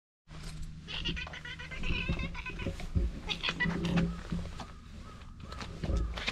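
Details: Stray cat purring from the very first moments of meeting: a steady low rumbling purr runs under the clip, mixed with rustling, handling noises and faint voices.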